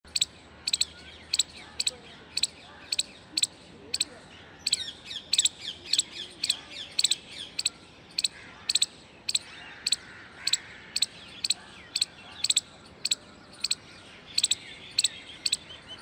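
An Indian palm squirrel gives sharp, high chirps in a steady rapid series as an alarm.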